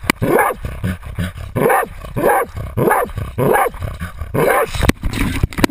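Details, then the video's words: Baying Jagdterrier Otto holds a 250 lb boar, recorded on a GoPro; strong raspy barks land about every 0.6 seconds, then a couple of sharp knocks break the rhythm near the end. "Insane jagdterrier Otto baying a 250 lb boar"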